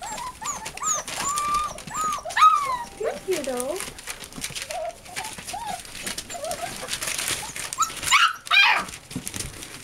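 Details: Eight American Bulldog and Siberian Husky puppies indoors; a run of short rising whimpers and squeaks, a few lower moaning whines, with voices, rustling and a sharp clatter near the end.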